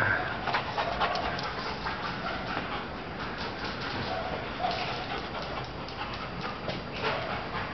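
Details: Bjork, a female Doberman running non-stop around the home yard, breathes in rapid, uneven panting puffs through the recording, with faint short whines and steady background noise.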